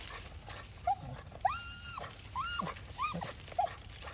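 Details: Labrador Retriever fond of persimmons, on a shared walk and unable to reach fruit left high on the branches, whimpers in quick succession: brief squeaks and a longer, flat-topped whine that rises, holds, then drops, several within four seconds.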